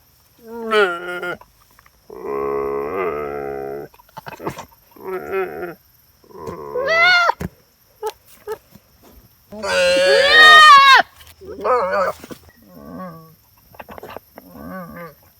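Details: Female goat voicing her opinion: a run of loud, wavering, nasal bleats, some long and quavering, others short and strained or rising high, broken by brief pauses, about ten calls in all with no other sounds.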